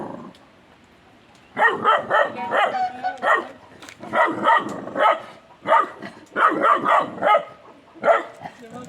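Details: Kangal puppy beside a tandır oven, barking at its own reflection in a mirror: clustered bursts of sharp, high yapping barks in quick series, with people talking throughout.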